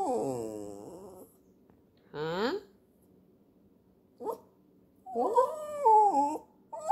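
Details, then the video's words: A terrier 'talking' in drawn-out, whiny, yodel-like moans that slide down and then rise again. Four separate bursts with quiet gaps between them; the last is long and wavering, with a short yelp just before it. "Terriers can talk too"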